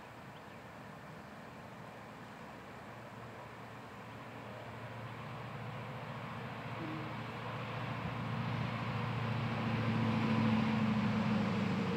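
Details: Steady engine-like rumble and broadband noise slowly growing louder, with no animal sound heard.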